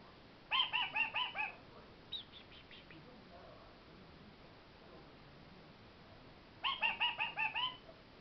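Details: Pet kakariki indoors, making cute little noises to beg its owners for snacks: two bursts of rapid, harmonic chattering notes, about six notes each, with a brief softer chatter between and quiet room noise.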